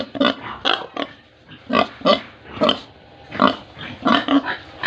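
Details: Farm pigs in Tripura, India, giving separate gruff grunts and short nasal squeals in loose clusters, some calls paired closely together, with quiet gaps of half a second or more between bursts.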